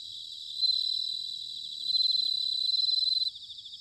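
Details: Bell cricket singing in autumn in Sanuki, Chiba, Japan: a clear, bell-like high ringing trill rising loud twice, pulsing rapidly, over a soft background chorus of other crickets.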